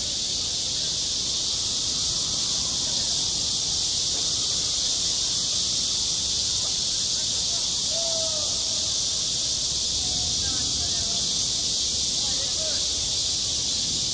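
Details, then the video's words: At a school playground in midsummer, cicadas make a continuous shrill wall of buzzing that never lets up. Soft, faint voices and tonal sounds appear in the second half. "한 여름 운동장에서 매미가 울고 있다 - 여름의 소리, 학교 종소리, 매미 울음소리"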